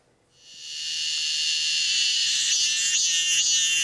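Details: A robust cicada (Hyalessa fuscata) sings in Korea in summer, swelling within half a second into a loud, high, dense buzz that holds steady, with faint pulsing near the end.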